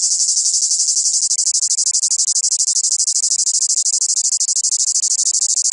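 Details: Cicada song from the south: an intense, high, rasping drone. It is nearly continuous at first, then breaks into rapid, deep, regular pulses for the rest of the recording, with no other sounds evident.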